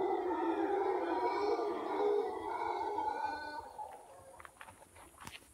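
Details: Howler monkeys heard on a morning walk in Cahuita, Costa Rica: an eerie, deep, rough roaring howl that holds steady for about three and a half seconds, then fades away, leaving faint, scattered, higher background sounds.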